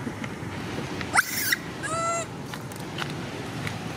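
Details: Sweetpea, a young monkey, cries for its mother because it is sleepy: a single tonal, wavering wail lasting under half a second, preceded by a couple of sharp clicks against a low background hum.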